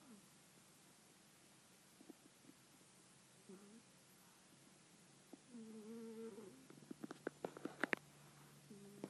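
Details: Joey, a pet cat, sleeping and dreaming while snoring: low, nasal, tonal breaths come at about three seconds, again in a longer drawn-out stretch near six seconds, and once more at the end, with sharp clicks or taps between them.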